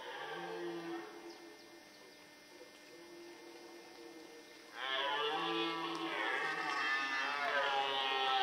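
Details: Red deer stag in the rut in the Forêt de Chaux, Jura, near Dole, France, where males were fighting and hinds were present; a short low harmonic moan, then after a quiet pause a louder, rough drawn-out roar rich in overtones.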